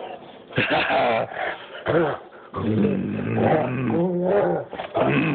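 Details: Demon, a Great Dane, roughhousing in play, giving long harmonic groans and throaty growls with whiny rising tones, sustained for several seconds between short breaks.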